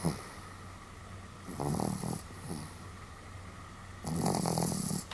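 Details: Sam the Pomeranian asleep and snoring somewhat boisterously on 31 July 2015; two gravelly, buzzing snore breaths around two and a half seconds apart, the second longer and louder, against a faint constant hum.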